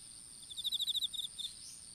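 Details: Insects in an open-air strawberry field, picked up by a fallen smartphone while seedlings were planted: one fast, bright pulsed trill of roughly a dozen beats lasting under a second, a steady high hum behind it.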